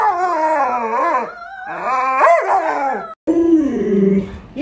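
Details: Alaskan Malamute vocalizing at its owner who is sick in bed; wavering, yodel-like howls that rise and fall in pitch, broken by a brief silence, then a lower moaning howl resumes.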